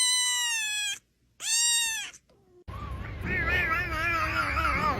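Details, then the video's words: Cat uttering two strong, loud meows in quick succession, then a fainter one, followed by wavering, quavering cries over a noisy background. "The healing sound of cat"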